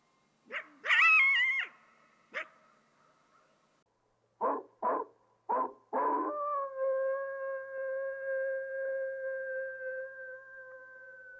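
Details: Coyote starting with a high, quavering yelp, then a few short gruff barks, before sliding into a long, even howl that fades slowly.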